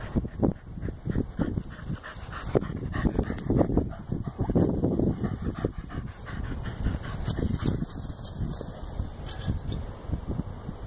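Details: Playing fetch, a Corgi pants steadily and fast, a long run of short breathy exhalations in regular rhythm with a few louder gasps, set against low background rumble and occasional knocks.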